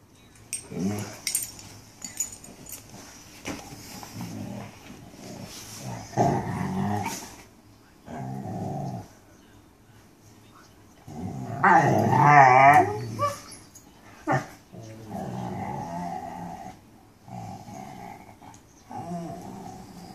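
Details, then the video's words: Mastiffs talking with low growly moans and a wavering, warbling whine in the middle, grumbling sounds recurring in short bouts across the recording. "Mastiffs talking"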